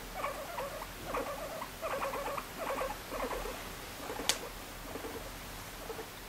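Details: Guinea pig being petted and drifting to sleep, uttering short pulsed purring bursts roughly once a second, with one sharp click partway through and steady low room noise.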